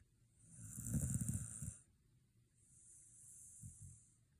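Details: After a day at the dog run, a sleeping Shiba Inu lets out one loud rattling snore on the inhale, then a quieter breathy exhale with faint snuffles.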